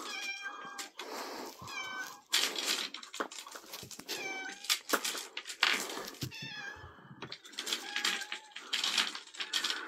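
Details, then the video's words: Pet cat, recorded 3 April 2024, meows over and over: about half a dozen clear, harmonic meows, some rising then falling, interleaved with loud broadband rustles and hissing bursts throughout. "My cat Pippin Meowing"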